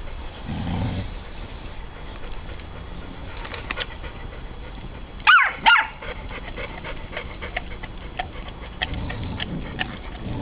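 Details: Puppy meeting between Ella, a 9-week-old Irish Soft Coated Wheaten Terrier terrified of Otis, a 28-month-old Broken Tricolour Beagle: two sharp, harmonic barks close together about midway, with quieter scuffling and faint whines around them.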